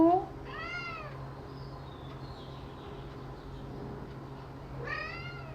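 Two plaintive meows from a Persian cat, each rising then falling, come about four seconds apart. A person's brief questioning voice opens the recording, and a steady low hum runs underneath.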